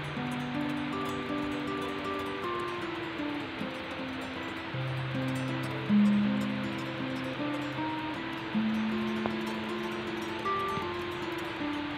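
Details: Steady music with sustained synth and piano notes throughout; no clear animal voice.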